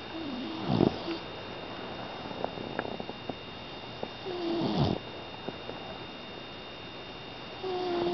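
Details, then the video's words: Sleeping Pit Bull puppy Hailey, a five-month-old female who snores constantly and loudly; two rough snoring breaths about four seconds apart, each with a thin whistling tone, and soft ticks in the quiet gaps. "Cute Snoring Pitbull Puppy"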